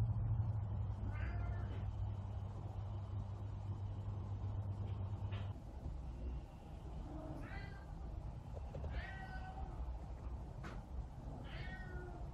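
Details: A Savannah cat protecting her chair gives a few short, rising-falling meows over a low steady hum.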